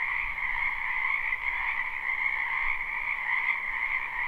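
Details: Spring wetland frogs in a live, unlooped recording: a continuous massed croaking chorus, steady and droning, with a higher trilling layer over a lower one and gentle fluctuations in volume.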